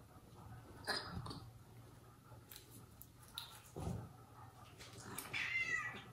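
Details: Indoor domestic cats: the father cat punishes mother cat Jaco, who cares for her own kittens and abandoned foster kittens, for leaving them alone. Short harmonic cries sound near the start, then a longer wavering cry near the end, amid scuffling and thumps.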